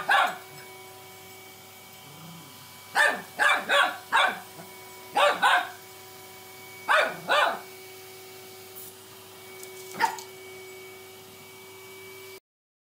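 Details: Cockapoo puppy named Eric barking at a vacuum cleaner, undecided between friend and foe: clusters of two or three high, sharp barks repeated every couple of seconds over a constant motor drone, ending with one lone bark.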